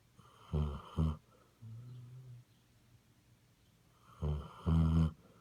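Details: A sleeping Basset Hound snoring indoors: a pair of loud, low, rasping snore bursts near the start, a softer drawn-out breath, a quiet pause, then another loud double snore near the end.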